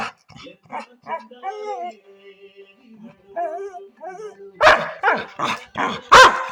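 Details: Pet Labrador retriever making wavering whines and moaning sounds at first, then breaking into four loud, rough barks at the end.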